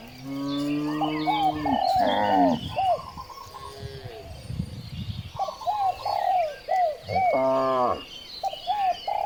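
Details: Cows on village streets during morning herding, several overlapping low moos early and late, mixed with frequent short chirps of birds and general street bustle.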